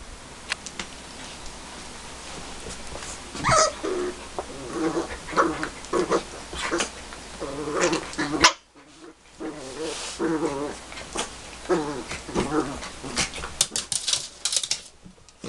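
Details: Eight-week-old puppies growl softly and let out short whimpering yips, scattered bursts every second or two amid clicking, scuffling play noises, with a brief silent gap midway before the low grumbles resume.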